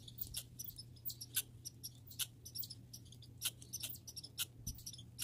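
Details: Grey and red squirrels in a backyard, giving sharp high clicks and squeaky chips in irregular bursts, some doubled, over a steady low hum.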